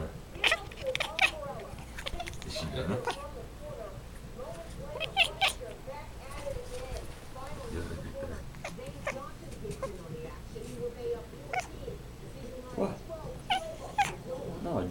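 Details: Odd rapid chirps from a female house cat chasing a flashlight indoors, short clipped notes repeated in quick runs, with people speaking over and around them.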